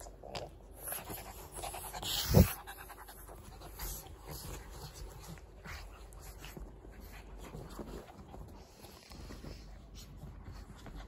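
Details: Panting dog, either a Shih Tzu or a Pug: soft rapid breaths in a steady rhythm, with one sharp louder knock near the start and low rumbling background.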